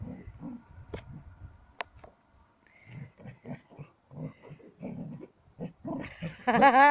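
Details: Sam the Border Collie, eager while playing with a ball, makes a run of short rhythmic huffing grunts, then breaks into a loud, wobbling high-pitched whine at the end, with a few sharp clicks earlier.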